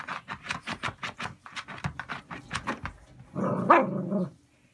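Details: Cavalier King Charles Spaniel with Chiari-like malformation and syringomyelia, showing sensory abnormality: chewing its paw tips, digging at the floor, rubbing its muzzle on the floor. Rapid rhythmic rasping pulses for three seconds, then one drawn-out, harmonic, whine-like vocal indoors.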